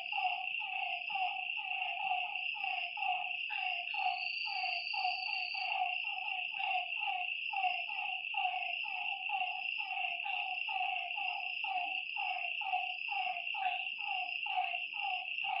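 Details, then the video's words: Lakeside frogs at night giving steady, repeated falling croaks roughly once per second from several animals, set against a continuous high-pitched insect drone. "Lakeside night creatures and frog sounds"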